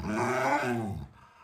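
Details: Alaskan Malamute named Lolo, a pet dog, letting out a short, rough, deep groaning growl of about one second while being urged to hurry up. The voice is rich and throaty and fades out abruptly.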